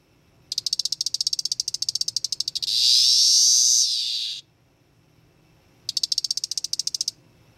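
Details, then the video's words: A male 13-year Cassini periodical cicada (Magicicada tredecassini, Brood XIX) calls from a terrarium around 7 pm on May 23, after capture as a teneral in mid-May. It gives a train of sharp high ticks, then a loud continuous buzz that swells and fades. "thelope.com - M tredecassini Brood XIX cicada calls"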